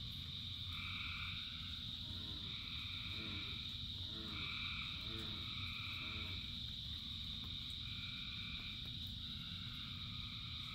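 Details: Frogs in rain: a high continuous trill and short two-tone calls repeat over rain noise, joined by a deeper frog giving rapid pulsed croaks in several short bursts.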